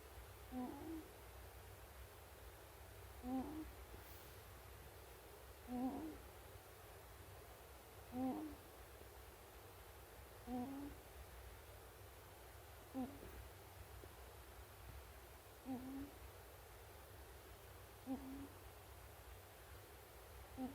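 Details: A sleeping pet ferret, one and a half years old, snores indoors; soft low puffing snores repeat about every two and a half seconds in a steady rhythm over faint room hum.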